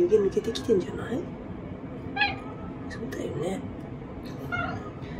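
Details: Black-and-white house cat Omusubi, with a high, girlish voice, lies in wait after a bath and fawns on her people indoors; short bent meows cluster in the first second, another rises near the end, over human voices and room noise.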